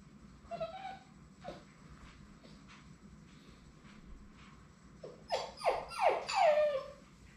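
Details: Labrador Retriever puppies from Sadie's litter at High Desert Labradors, among the final three on their last day before going to new homes, indoors. After soft scattered whines comes a run of four or five high, falling whimpers near the end over faint room noise.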